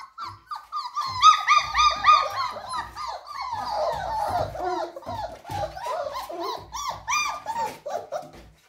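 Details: German Shepherd puppies offered for sale in Ghaziabad whimper and yelp in a rapid series of high, wavering cries, some rising then falling, clustered in bursts with brief gaps; soft background noise and faint voices underneath.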